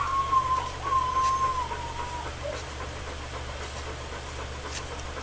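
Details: Alaskan Malamute puppies from the summer 2014 litter of Macy and Jack, two and a half weeks old, nursing; a thin, high whine wavers and slowly falls for about two seconds, then fades under a steady low hum.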